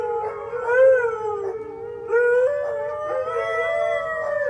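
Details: Huskies, four kept together with a Pomeranian, howling in long drawn-out tones that slide gently downward, break off near the middle, then resume on a slightly higher steady pitch, with layered overlapping voices.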